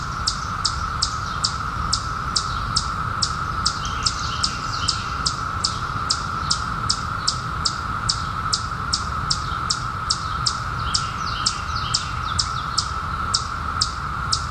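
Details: Chorus of periodical cicadas from the 2021 emergence after a 17-year wait: an unbroken mid-pitched hum runs beneath a long series of quick, high, downward-sweeping bird chirps about every half second.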